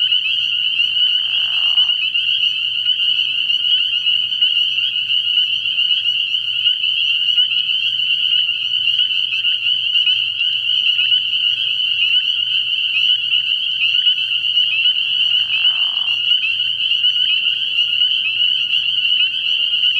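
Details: Spring peepers calling together from a frog pond at night early in the year: a dense, unbroken chorus of high, shrill peeps merging into a steady ringing band, with brief lower raspy notes near the start and again later.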